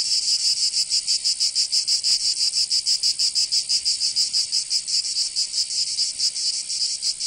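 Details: Summer chorus of cicadas in Provence, in the south of France, a harsh high-pitched buzz throbbing in quick, even pulses without pause.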